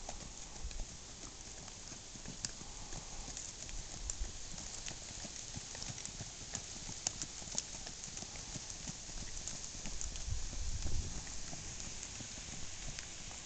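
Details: Tennessee Walking Horse stallion on the move, with quiet clip-clopping hoofbeats in a loose, uneven rhythm of about three to four steps per second over soft background noise.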